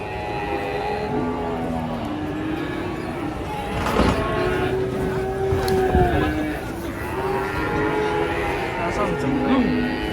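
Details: Cattle, described as enraged while coming down off a truck, giving several sustained, even-pitched moos a few seconds apart over a constant backdrop of people talking and shouting nearby.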